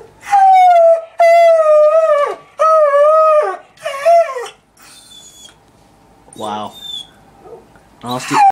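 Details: Beagle mix Sadie, about two years old and newly adopted from a shelter, howls from stress while a family member is away. Four sustained, slightly wavering howls come first, then quieter scattered sounds, ending with one short rising howl.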